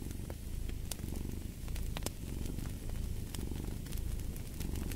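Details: Domestic cat purring beside a fireplace: a steady low rumble swelling and easing in slow breath cycles, overlaid by sharp crackles and pops from burning wood.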